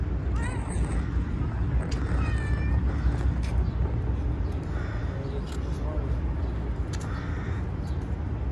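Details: Three-legged stray cat on the street being petted, giving a few short, faint harmonic meows early on, almost buried in steady traffic-like background noise, with a person speaking Persian nearby.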